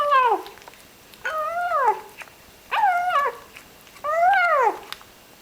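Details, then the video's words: A little ginger kitten enjoying its food, uttering four moaning, nasal calls that rise then fall, each under a second, repeated roughly every 1.3 seconds in a quiet indoor setting. "yum yum - a cute kitten is eating his meal in funny way"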